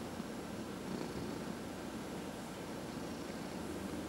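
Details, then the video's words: Domestic cat purring while being massaged; a steady low rumbling purr fills the clip with no clear breathing pattern, against a quiet indoor background. "Four Purring Cats — Cat Massage"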